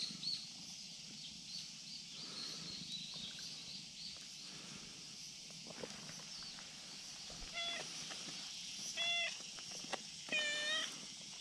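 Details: Friendly tabby-and-white outdoor cat on a risky hillside ledge, calling out to ask for petting; three loud, harmonic meows spaced roughly every one and a half seconds near the end, with soft rustles earlier and a constant high-pitched drone behind.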